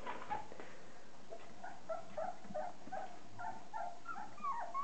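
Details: A litter of 30-day-old Border Collie puppies, offspring of Kim and Andy, whining steadily: short, reedy squeals and whimpers follow one another quickly and unevenly, several pups calling at once, ending in a louder rising whine.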